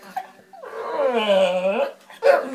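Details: A 12-year-old Staffordshire Bull Terrier gives a drawn-out, wavering, speech-like moan, "talking" in response to being asked to say please.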